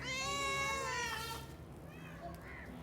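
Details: Domestic cat in a fighting-sound compilation: one long, loud, wavering yowl that slowly falls in pitch and fades, followed by a faint short mew.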